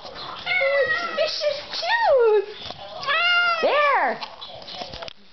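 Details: House cats excited by catnip indoors give long, loud drawn-out meows, one sliding sharply downward around two seconds and another arching up then down near four seconds, in a small room.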